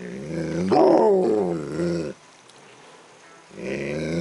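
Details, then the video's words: Siberian Husky, male, making happy affection noises while having his ears massaged, recorded indoors at night: a drawn-out, wavering howling moan rising and falling in pitch, pausing about a second, then starting again. "Siberian Husky Making Affection Noises"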